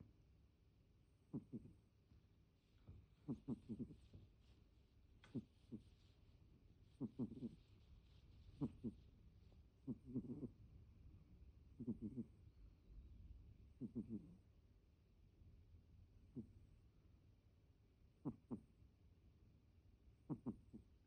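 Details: Deni, a house cat, with an unusual snore: louder rasping snorts, often doubled, recurring every one to two seconds in steady breathing rhythm.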